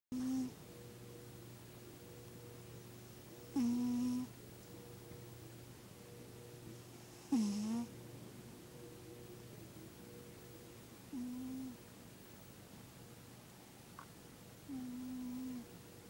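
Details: Dave the cat snoring while asleep indoors: five short, low, tonal snores, each about half a second long, spaced roughly every three to four seconds, over a steady electrical hum in a quiet room.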